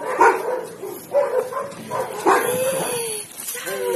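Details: Galgo Español dogs Ramona, Romana, Sombra and Quack, rescue greyhounds up for adoption, playing in a patio; short tonal yelps and whining cries rise and fall in several bursts, with human voices talking nearby.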